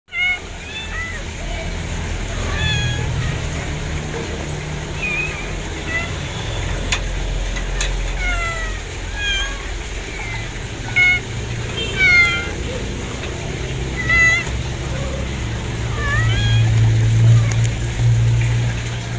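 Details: Kittens meowing repeatedly, many short rising-and-falling mews overlapping throughout, some high and squeaky, over a steady low rumble and faint background voices.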